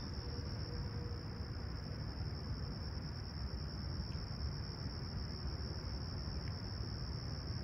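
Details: Chirping crickets at a clear, still Toronto sunrise in Humber Bay Shores, July 28, 2020, 20ºC. A flat, high, sustained trill continues without pause, a brief faint low tone appears early, and strong low rumble fills the background.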